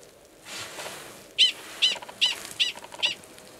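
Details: Mating call of male 45, a Gunnison's prairie dog, at Valles Caldera, New Mexico, in March 2017, before he goes underground to mate. A soft rustle gives way to five bright, high chirps spaced about 0.4 seconds apart.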